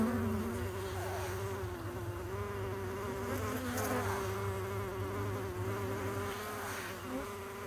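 Honey bees give a steady, low humming buzz that wavers slightly in pitch.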